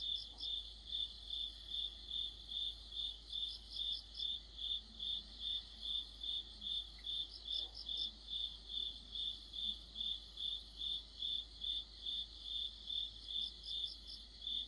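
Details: Mid-autumn insect orchestra of crickets: regular, high-pitched chirps beating steadily about twice a second, with occasional short bursts from another insect overhead and faint low rumbles beneath.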